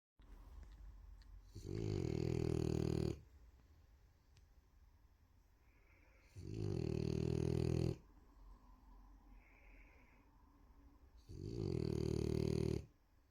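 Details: A female French Bulldog snores in loud, rasping low breaths, each lasting over a second, with quiet pauses between.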